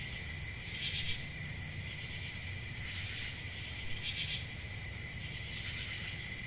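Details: Crickets chirping in a steady, shrill high-pitched trill that never pauses, with brief brighter pulses about every one and a half seconds over a low background rumble.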